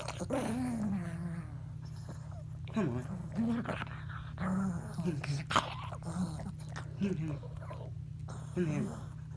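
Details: Chihuahua playing at bedtime, his usual nightly routine, uttering a string of short, wobbling growl-whines that bend up and down, several separate bursts over a low background hum, with a person talking nearby.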